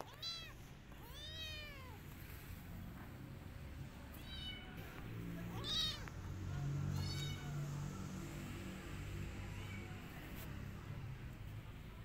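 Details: Rescued kittens hiding in a jacket give a run of high, thin meows, each an arching whine, several in quick succession early on and more scattered later over a low rumbling background.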